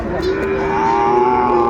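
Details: Sahiwal cattle at a Kurigram market, Bangladesh, 14 December 2024; one sustained, even-pitched moo that climbs slightly midway and holds, with faint crowd noise behind.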